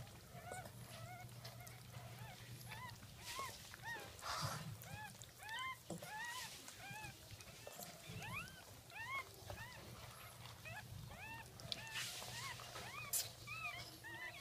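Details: Just-born Jack Russell Terrier puppies of a second litter, filmed at birth at 5:35 am, 17 October 2014: a dense run of thin, bending squeals, many overlapping, with brief rustling noises and a low steady hum.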